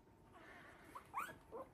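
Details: Havanese puppies aged three weeks winding down after play in their whelping box; quiet stretch, then two or three brief high yips near the end.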